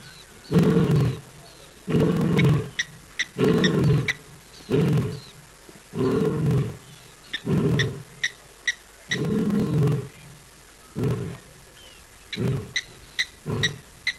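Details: A lion at Naledi, South Africa, gives a series of deep, rumbling roars and grunts, each under a second, recorded by a live camera on 4 October 2023 around 6:15 PM.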